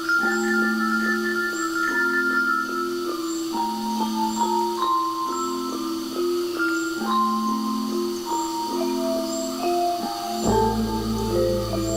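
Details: Bright mallet percussion music, glockenspiel and marimba-like tones in a repeating melody, with no animal sound heard.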